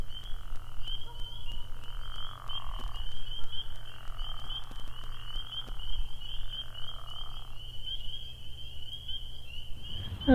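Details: A night chorus at a ball field at Bear Brook State Park, around 10 pm in the preseason. Spring peepers give steady, shimmering high peeping, with lower bullfrog notes beneath; ducks were also reported there.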